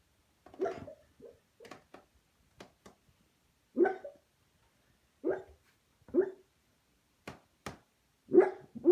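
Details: Junior the Beagle barks in his sleep while dreaming, giving muffled, irregular woofs and soft huffs, some doubled, spread across several seconds with quiet gaps and faint clicks in a small room.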